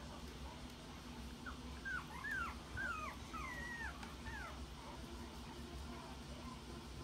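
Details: Red Toy Poodle (Canis familiaris) puppies, born 26 June and nearly one month old, at a breeder in Aichi, Japan, give a run of thin, high whimpers sliding up and down in pitch.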